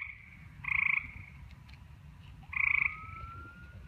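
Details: Frog calling at night: two short, harsh, pulsed croaks about two seconds apart, each lasting under half a second, over a steady low rumble, with a thin rising siren-like tone in the background.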